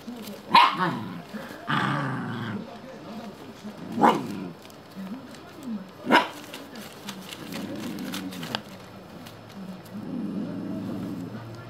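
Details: Shiba Inu mother and pups, the young ones set on cutting her leash to free her. Short yapping barks break out at irregular intervals, mixed with low grumbling and rustling movement.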